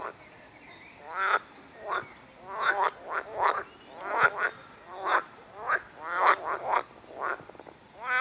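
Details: Edible frog (Pelophylax kl. esculentus), a hybrid green frog, at the Rose Park in Chorzów, Poland, gives loud, rattling croaks in short pulsed bursts repeated in quick succession.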